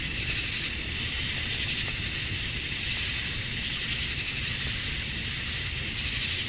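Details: Male cicadas in Georgia, USA, singing at dusk on a summer night to attract females. A dense, even, sizzling buzz holds steady throughout, swelling and fading only slightly.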